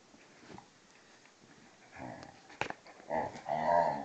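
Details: Playful scuffle between a vizsla and a pointer, Tarkas (2½) and Noonoos (12): soft rumbling at first, then a sharp click and rising, whiny growls building louder toward the end.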